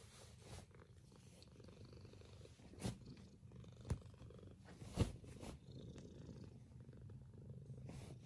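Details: Domestic cat purring steadily while waking up its owners indoors; a deep, continuous low rumble runs throughout, broken by a few brief soft clicks or taps around the middle.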